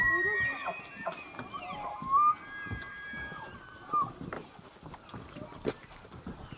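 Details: Free-range bull elk bugling during the September rut at the Elk Viewing Area, Charles M Russell National Wildlife Refuge, Montana, with hundreds of elk massed along the Missouri River; high, whistled, sliding tones that peak sharply twice, with overlapping calls and scattered knocks.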